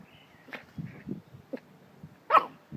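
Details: Schipperke puppies about seven and a half weeks old, from the litter of Shegy and Dark, giving a few short, soft yips and whimpers at irregular spacing, then one louder, sharper yelp near the end, in a quiet setting.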